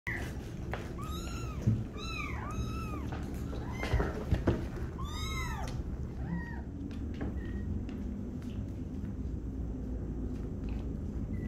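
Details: Tiny kitten learning to walk on a slippery floor indoors, giving a run of high arched meows, several in quick succession early on, then softer shorter mews, over a low rumbling room background.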